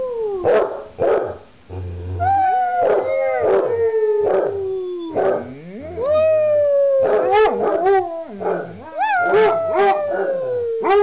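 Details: Two basset hounds bay in long, mournful howls that slide slowly downward, broken by short barking yelps.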